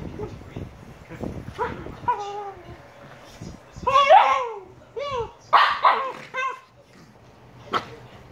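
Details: Shiba Inu puppies Niro and Kyno at 118 days old let out a run of high yelping barks with falling, whine-like tones, loudest in the middle, then a pause and one last sharp yip near the end.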